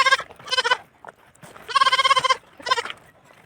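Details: Goat newly bought and kept on a La Union farm, calling for its mother: three loud, harmonically rich bleats, the middle one long and strongly quavering, the outer two short and choppy.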